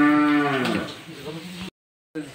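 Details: Cow gives a long, low, strongly harmonic moo lasting about a second and a half while calving unexpectedly at night, fading out before a brief silent gap and faint background sounds.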